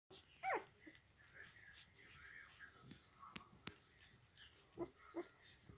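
Day-old Dobermann puppies whine: a shrill, falling squeal opens, followed by quiet snuffling. Near the end come two brief, low squeaks.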